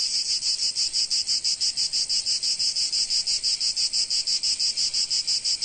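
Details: ['Sunny Provence cicada chorus, a piercing high-pitched rasp beating in quick regular throbs, roughly three per second, unbroken throughout with no birds or voices.']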